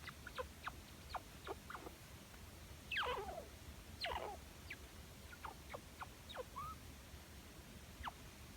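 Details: Affectionate pet chinchilla seeking attention, giving a quiet series of short, sharp squeaks at a mix of pitches, with two louder, longer, sweeping cries near the middle and scattered chirps afterward.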